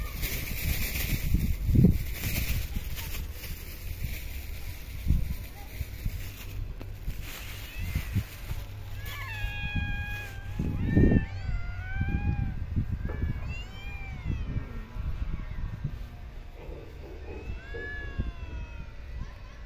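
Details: Park and street cats at feeding time utter a run of short rising-falling meows from about seven seconds on, some overlapping, amid low rumbling noise, thumps and occasional voices.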